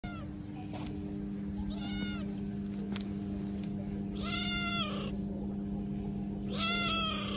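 A kitten cries with high, wavering meows that rise and fall, repeated every couple of seconds, calling in distress for its lost mother. A steady low mechanical hum runs underneath throughout.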